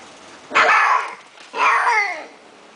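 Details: A male Persian cat gives two harmonic, drawn-out meows about a second apart, each starting strong and sliding downward in pitch, with faint background hiss.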